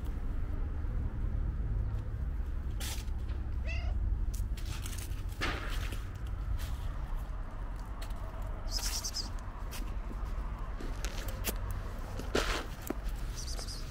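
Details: A friendly fat tabby stray cat outdoors gives a short, rising meow around the four-second mark. A steady low urban rumble fills the background, with scattered clicks, scraping and rustling.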